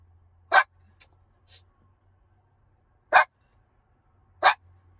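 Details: A miniature schnauzer waiting in a car gives short, sharp, high yips at uneven intervals over a low hum.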